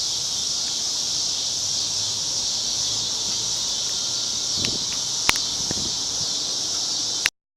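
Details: Summer cicadas on a Chicago street on a cloudy August evening in 2010, a steady, unbroken high buzzing drone that holds throughout, with a few faint knocks and clicks partway through before cutting off abruptly near the end.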